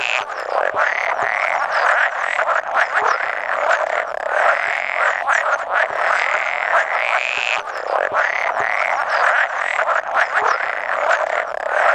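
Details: Spawning chorus of around 100 male pool frogs during egg-laying, recorded 16 May 2017; continuous layered croaking with rhythmic pulsed phrases swelling and overlapping, an occasional edible frog calling among them.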